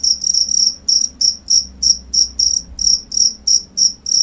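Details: A cricket chirps in clear, bright high-pitched bursts, roughly three per second, each a short trill of pulses, against a quiet low rumble.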